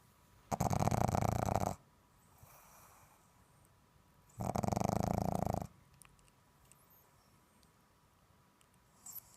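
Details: Sleeping pug snoring: two long, loud rasping snores, each about a second, roughly three seconds apart, with quiet breathing between in a small room.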